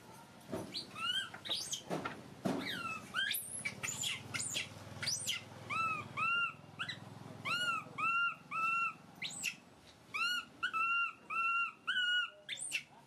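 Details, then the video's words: Pet baby monkey kept at home, crying and screaming: a run of shrill, sharply rising shrieks, then steady clear whistled cries with rich overtones repeated about twice a second, short gaps between each. "Poorest baby monkey crying screaming so pity"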